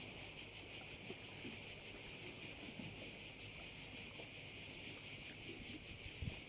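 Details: On Korčula, Croatia, crickets beside a bay keep up a continuous, piercing high chorus with uneven throbbing pulses and a soft low background murmur.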